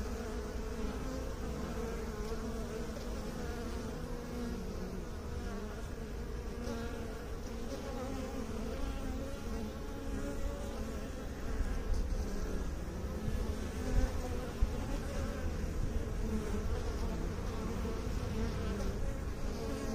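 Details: Honey bees humming steadily for twenty seconds, a dense low drone with layered wavering overtones, many insects buzzing together at an even level with a brief louder swell near the middle.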